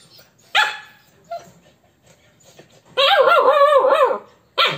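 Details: Corgi and Alaskan puppy interacting indoors: a sharp bark, a shorter yelp, then a long wavering whine-like bark lasting over a second, ending with another loud bark.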